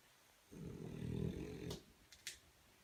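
A French Bulldog puppy gives one long, low, rattling snore, followed by a few sharp clicks.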